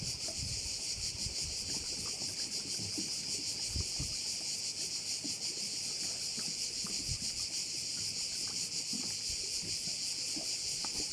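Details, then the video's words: A crowded cricket chorus at a Korčula bay: bright, high-pitched trilling that pulses rhythmically about three times a second, over light low background rumble. "view of one of the bays in Korcula with sounds of crickets"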